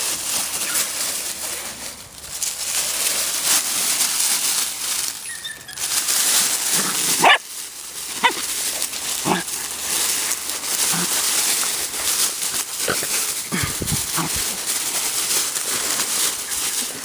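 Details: Teddy Roosevelt Terriers playing outdoors on a warm February day in Georgia; scattered short barks and whimpers come at irregular intervals over crunching, rustling ground noise, with a person's voice between.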